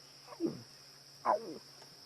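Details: At Sabi Sand at sunset, as darkness falls, an adult lion gives two soft, falling moans, heard as a contact call, over a steady insect whine. A lioness nearby heads to drink.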